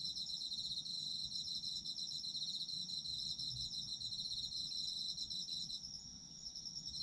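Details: Autumn insects calling for sleep ASMR: dense, steady high chirping trills around a bright band, several overlapping singers, pulsing continuously with a brief softening near the end; faint low rumble beneath.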